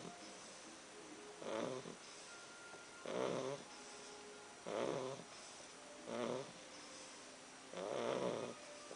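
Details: Sleeping English Bulldog gives five rough, gravelly snores spaced about one and a half to two seconds apart, with soft wheezy breaths between them and a faint steady tone in the background.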